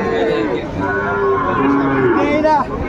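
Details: Brief burst of moos from Sahiwal bull calves at Ambari cattle market, Dinajpur, 28 March 2025: two or three flat lowing notes, the last rising sharply, amid market chatter.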